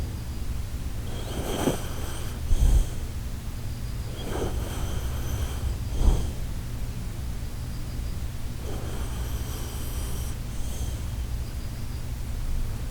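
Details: Shiba Inu named Koharu asleep and snoring, its noise likened to the Titanic setting sail: rough, breathy snorting bursts recurring every two to three seconds over a steady low hum.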